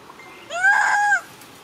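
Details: Mother monkey crying loudly after a young monkey grabbed her baby away from her: one drawn-out, tonal wail, rising, holding steady, then dropping, lasting under a second against quiet background.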